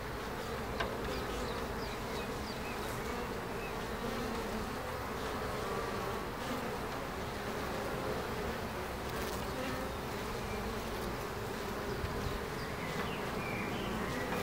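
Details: Steady hum of many bees in Ebersberg, a thick, unbroken drone with rough low tones and brief faint clicks scattered over the top.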